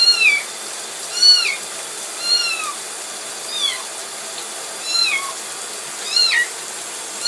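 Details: A kitten being taken for a bath cries with high, thin meows that arch up and fall, repeated about once a second.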